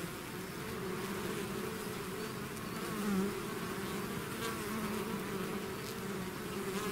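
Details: A swarm of bees out of its hive buzzes continuously, a dense low hum with one bee passing close and louder about halfway through before the drone settles back.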